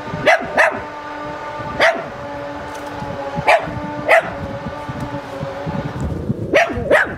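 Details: Zoe, a pet Chihuahua said to dislike lawnmower noise, barking enthusiastically after finally showing himself: seven short, sharp yaps in irregular pairs and singles over a steady droning engine-like hum.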